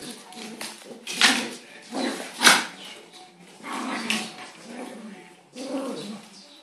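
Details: Two dogs fighting, a little dog gripping a big dog's neck: harsh, noisy snarling bursts come in uneven surges about once a second, with several louder peaks in the middle and scuffling noise between them.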